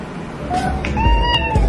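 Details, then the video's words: A pet cat known for meowing a human-like "okay" gives a short, clear two-part meow. The first part rises, and the second holds steady then slides down. "This cat talks human. But just one word."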